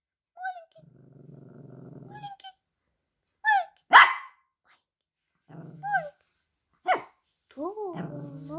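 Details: Indoor Russian Toy dog barking on command, trained to vary loudness: low rumbling growls, then a sharp single bark, with a woman's voice giving praise and commands between the sounds.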